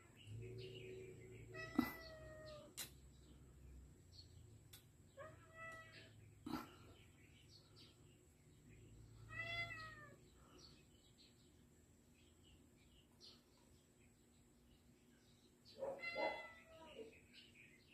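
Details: Cat stuck somewhere in rural Taiwan, meowing: four drawn-out, harmonic-rich meows spaced several seconds apart, with quiet pauses between and a faint steady high whine running underneath throughout.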